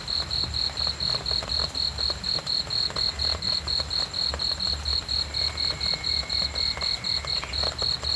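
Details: Cricket at night giving steady high-pitched chirps roughly two per second; a faint thin whistle-like tone runs briefly in the middle, over light hiss and low rumble.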